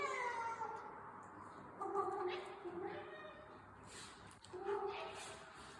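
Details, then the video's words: Domestic cat giving a run of miaows. A long falling miaow opens, then shorter, varied chirping miaows follow at irregular intervals, mixed with some soft rustling in a quiet indoor setting. "likes the sound of his own miaows"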